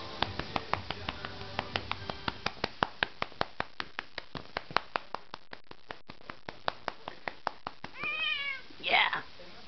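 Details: Cat that loves being spanked: a rapid series of sharp slapping pats for about eight seconds, then two drawn-out, wavering meows near the end, with a man's voice coaxing it to come here.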